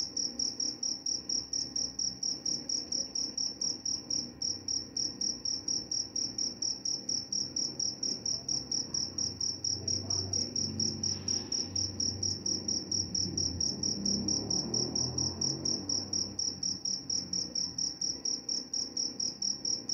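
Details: Cricket with a high, shrill chirp repeated steadily about twice a second throughout, plus a soft low rumble in the background around the middle.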